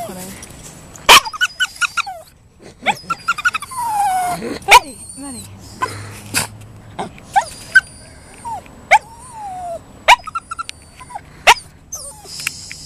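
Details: Max, a Toy Poodle, gives his dolphin impression: high squeaky whines that rise and fall, with sharp clicking yips scattered throughout and a few thin whistle-like squeals, recorded indoors.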